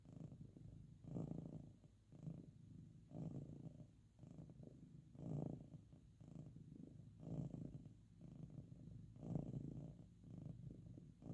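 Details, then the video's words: Loudly purring domestic cat, relaxed during petting or napping; close, deep vibrating purr with rhythmic surges about every two seconds, calm room otherwise silent. "Purring Sleeping"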